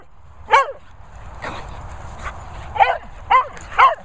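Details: Four dogs, a Vizsla, a Cocker, a Romanian and a Lurcher, mooching about: six short, high, yelping whines in quick irregular bursts over roughly four seconds, with soft background rustle between them.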